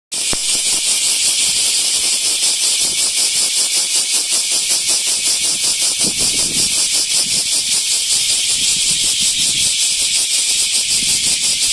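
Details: Large brown cicada, Aburazemi, singing at Animal Land Nakayama on 10 August 2025: a loud, continuous sizzling buzz dense in high pitches, pulsing rapidly throughout, with faint low rumbles underneath.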